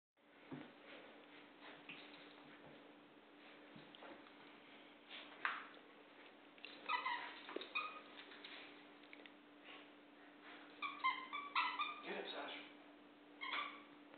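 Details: Two dogs at play, Sasha an American Eskimo and Penny a Golden Retriever: scattered high, whiny whimpers and yelps in short irregular bursts, loudest around the middle and near the end, over a steady low electrical hum indoors.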